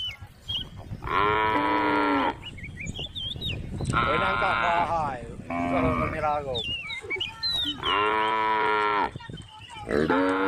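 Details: Tame cows and a calf grazing in a grass field, with a female cow calling: four or five loud, sustained lowing calls, some wavering in pitch. Birds chirp and whistle between them.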